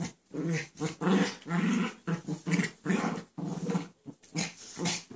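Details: Playful growls and grumbling noises from a pet dog at play with a second dog that lies down during the game; short rough bursts repeated roughly every half second, some with rising whiny edges, indoors.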